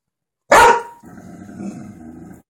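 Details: A Golden Retriever barks at dogs on TV: one loud, sharp bark, followed by a softer, murmuring background sound.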